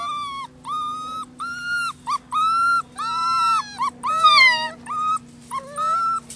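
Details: Holly's rescue pups, six weeks old, from Lonely Hearts Animal Rescue, giving loud drawn-out whines. About a dozen level, steady-pitched cries, each roughly half a second long, follow one another with short gaps; a faint constant hum runs underneath.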